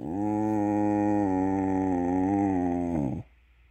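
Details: A beagle gives one long, low, steady howl that wavers slightly and cuts off after about three seconds, in the dark when the alarm goes off in the morning.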